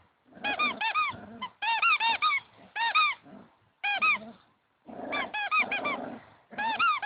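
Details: A playing puppy gives bursts of high, squeaky whines and yelps, each a quick rising-falling cry repeated several times in rapid runs, separated by short pauses of near silence.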